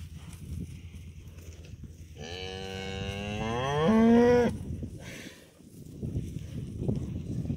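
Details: Young cows running up to a farmer who has just driven up; one long harmonic moo lasting about two seconds, drawn out and swelling louder while rising slightly in pitch at the end, over low rumbling background noise.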